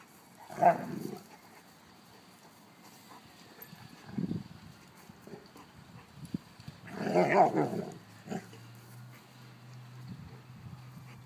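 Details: Two mastiffs, an old female and a 6-month-old, give a loud growling bark burst near the start, a softer grumble mid-way, and a longer rough growl-bark later, followed by a steady low hum.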